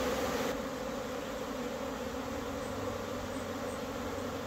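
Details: Many honey bees flying in April after a cold spell make a steady, low droning hum with a faint higher overtone.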